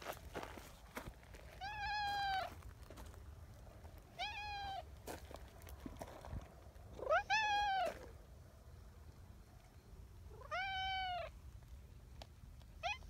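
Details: Nyahha, a friendly brown tabby community cat in Japan, chattering nonstop and seeking affection at a cat gathering; five rising-falling meows spaced about three seconds apart, with soft rustling between them.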